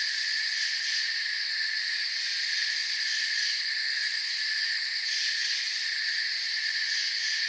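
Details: Forest crickets filling the air with continuous shrill trilling in layered high bands, the topmost layer flickering in quick pulses, level and even from start to end.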